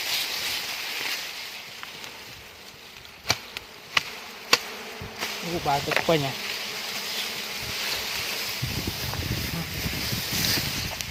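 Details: Bees swarming at a large wild hive full of honey and larvae, found near a farm in the countryside while it is being harvested; a steady, hazy, high buzzing hum throughout, with a few sharp knocks and brief human voices.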